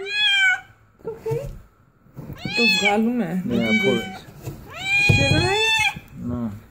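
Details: Queen cat giving birth for the first time, producing strained, rising meows overlapping with a person's soothing speech repeating reassurances, the cries long and wavering near the end.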